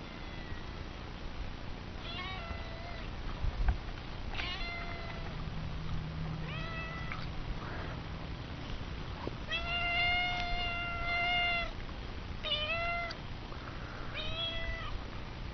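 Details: Chatty domestic cat meowing repeatedly, a series of clear harmonic meows, some short and some drawn out with a long steady tone near ten seconds, over a low background hum.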